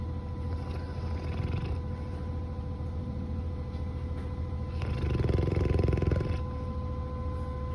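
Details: Sleeping Labrador Retriever named Coco, apparently dreaming badly, gives a soft raspy snore early on, then a longer, louder drawn-out snore lasting over a second, with a constant low mechanical hum underneath.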